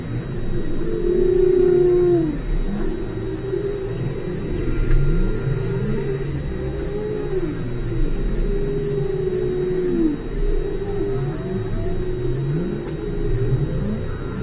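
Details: Deep-ocean recording at station ALOHA, 5 km deep, holds whale calls. A strong low downsweeping moan opens, then more arched moans and short rising swoops repeat, layered over continuous rumbling background noise.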